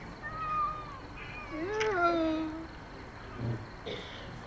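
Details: Domestic cat with a long wavering meow that rises then slowly falls, preceded by a fainter whining call, with low murmuring voices and background noise.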